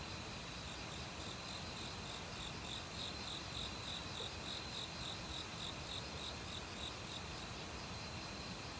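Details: Forest crickets in autumn, mixed with other insects, produce a run of quick, evenly spaced high chirps in the middle seconds. A constant shrill insect drone and the heavy broadband rush of valley water sit underneath.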